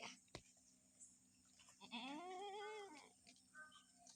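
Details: Farm goat out in the winter morning sun, giving a single drawn-out bleat of about one second that rises and then falls, with strong harmonics, over quiet background hiss and a few faint clicks.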